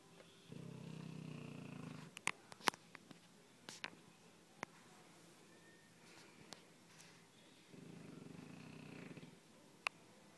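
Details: Sleeping dog snoring indoors, two long low rasping breaths several seconds apart, with scattered clicks and light knocks in between.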